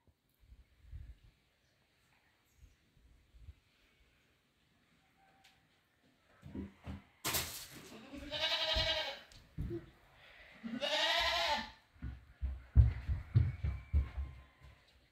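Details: Goat entering a house, giving two loud wavering bleats a few seconds apart after quiet shuffling, with thumps and footsteps around them.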